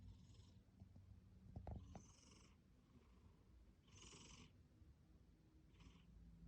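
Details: House cat with rhinitis snoring while resting indoors: raspy, hissing breaths come roughly every two seconds over a low, steady rumble, with a brief clatter in the middle.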